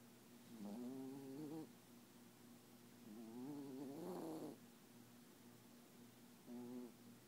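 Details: Papillon asleep and dreaming, tongue out and eyes open, gives soft wavering whines in three separate bursts, the middle one longest and rising slightly, indoors with quiet background between the sounds.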